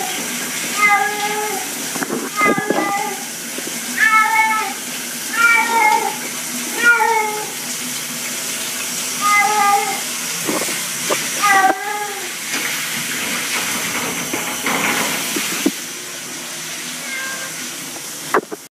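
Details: Domestic cat placed in a shower, giving short, strained meows in quick bursts, several per few seconds, over steady hissing of running water.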